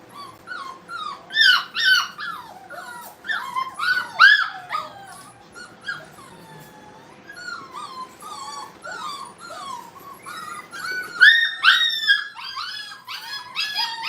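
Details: ['Playing Brittany puppies at a training kennel, with many overlapping squeaky whimpers and yelps that rise and fall in pitch. A bright burst comes early, a quieter stretch follows in the middle, and busy yelping returns near the end.']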